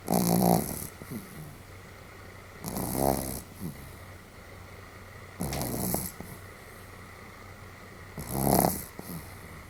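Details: Sam the Pomeranian asleep, snoring rather boldly: rough, snorting breaths lasting about a second, four of them roughly every two and a half seconds, separated by quiet pauses with faint background hum.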